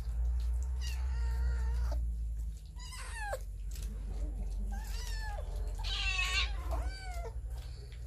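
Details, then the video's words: Hungry cats and kittens feeding on raw fish, recorded on a Samsung Galaxy S9 Plus phone; a run of loud, drawn-out meows, some level and some sliding downward, with rich harmonics, over a steady low background hum. "Cats eating raw fish - Kittens eating fish"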